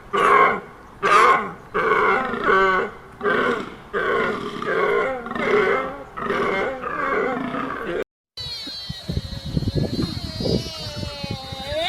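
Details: Deer with a rapid series of short, harmonic, nasal calls, about seven bursts in eight seconds with uneven spacing. After a brief break, a different high, wavering tonal sound follows over crackling low noise.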